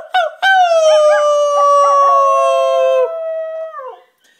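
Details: A rat terrier howls along with its owner outdoors in the wind, giving a long, steady howl that slides gently downward before breaking off.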